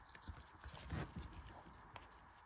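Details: Guinea pig eating, loud chewing heard as a quick run of crunchy, clicking bites with dull low thumps, densest around the middle, over a steady background hiss.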